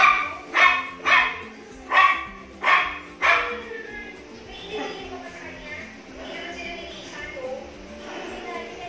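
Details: Miniature Pinscher reacting to his reflection in a mirror for the first time, giving five loud, sharp barks in quick succession, then quieter voices and soft music continue underneath.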